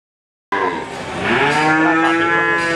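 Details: Crossbred Simmental calf mooing: after half a second of silence, a single drawn-out, harmonic-rich moo begins, dipping then holding a steady pitch and swelling louder toward the end.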